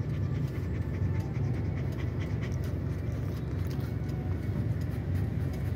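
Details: Pet dog, stressed by outdoor noise during a tyre change, panting continuously in quick, even, breathy bursts above a constant low-pitched background drone.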